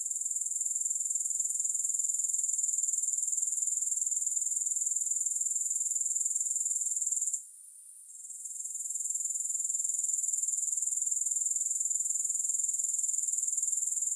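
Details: Insistent high-pitched grasshopper chorus, rapidly pulsed and even, that fades abruptly midway for about a second before gradually returning to full strength; nothing else audible.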